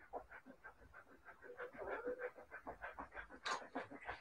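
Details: Siberian Husky puppies panting in quick, steady breaths, about three a second, with a brief sharp scratchy noise near the end.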